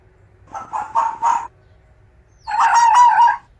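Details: Fox mating-season sounds: three quick hoarse barks in a row, a pause of about a second, then one longer, rough, drawn-out scream.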